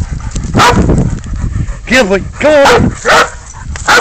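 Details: Dog baying while holding a goat at bay during a catch-and-release hunt; two drawn-out, wavering harmonic howls in the middle, flanked by shorter yelping bursts, with rustling and a man's voice.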